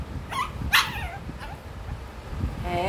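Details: Male Shih Tzu puppy letting out two quick high-pitched yips close together, followed by a fainter squeak and a short thin whine at the end, with quiet indoor background.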